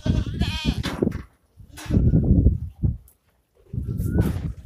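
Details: Osmanabadi goat kept for goat farming, letting out a brief, shaky bleat at the outset, then bursts of rough, breathy noise and a faint thin tone toward the end amid low rumble.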